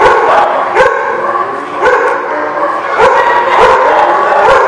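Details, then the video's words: Many dogs barking together in a kennel-like lot, overlapping sharp barks and yips repeated rapidly, nearly two per second, forming a dense continuous chorus. "The Barking Lot"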